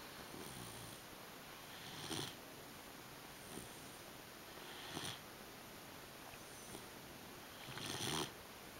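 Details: Sleeping English Pointer puppy named Buddy, three months old, giving airy wheezing snores at irregular intervals, roughly every three seconds, with quieter breaths between and a constant low hiss behind.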